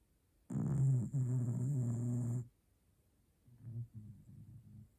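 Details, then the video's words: Pet dog snoring: a loud, low rattling breath lasting about two seconds, then a gap and a series of softer, short, low snorts. "코고는 강아지 호밀이 snoring dog"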